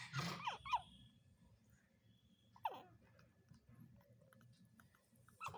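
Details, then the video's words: A pug puppy, asleep and dreaming, gives a few short, high whimpers that slide quickly downward. "Pug puppy making sounds while dreaming"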